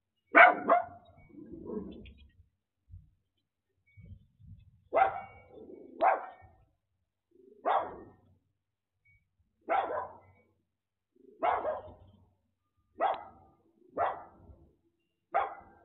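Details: A little dog in the United States barks at a delivery driver who gets it to follow his commands and wait. Sharp single barks, sometimes doubled, come every one to two seconds, with a few softer grumbles between them.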